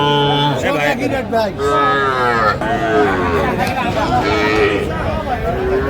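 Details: Small Sahiwal bull and heifer calves at the Saturday cattle market in Aftabganj, Dinajpur, Bangladesh. Low, harmonic lowing runs through the clip under overlapping speech from buyers and sellers in a busy crowd.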